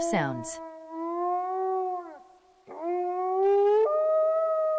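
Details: Wolf howling: a brief sharp yelp opens, then long, smooth, sustained tones from overlapping voices, fading out after two seconds; after a short pause a fresh howl rises and steps up in pitch, held to the end.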